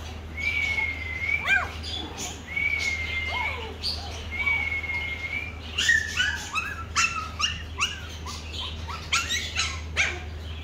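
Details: Black Pomeranian puppy of the toy breed gives three long, thin, steady high whines in the first half. These are followed by quick arched yelps and squeaks, with a constant low hum and some bird-like chirping in the background.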